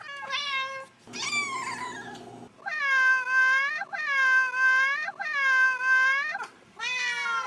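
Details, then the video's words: Domestic cat from a compilation of cats and kittens meowing: long harmonic meows, several drawn-out and wavering, repeated in a loose series with brief pauses between them, indoors. "cats meowing"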